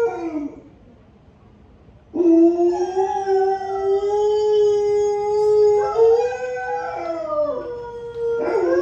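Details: Pet Alaskan Malamute Honey howls like a wolf again when a clip is replayed: after a quiet gap, one long steady howl with rich harmonics, slightly wavering, then dipping and rising into a fresh howl at the end.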